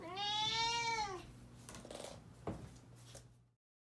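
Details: Food-demanding meow from Kirara, a 13-year-old house cat: one long, bright, slightly arched meow lasting about a second, followed by quieter rustles and a tap over a faint low hum.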